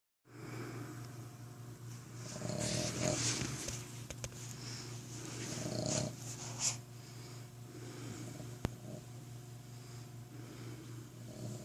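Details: Sleeping Boston Terrier snoring loudly, like a human: rough, breathy, rasping snores swell and fade in slow bursts over a steady low electrical hum indoors.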